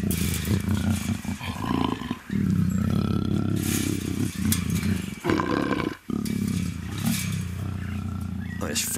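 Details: Luna, a female black African leopard in her first estrus at the Cheetah Experience big cat breeding center, gives a continuous deep rasping growl broken by two short gaps, with a person talking over it.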